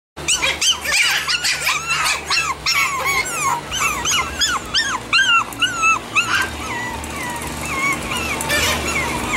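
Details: Chihuahua puppies in Edmond, Oklahoma giving many high, squeaky whimpers and yips, pitch arching up and down in rapid overlapping bursts, several voices at once, with faint background music.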